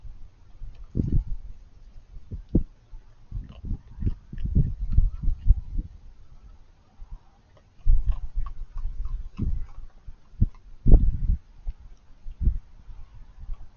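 A raccoon eating, with wet crunching and chomping in irregular bursts and soft snuffles between bites.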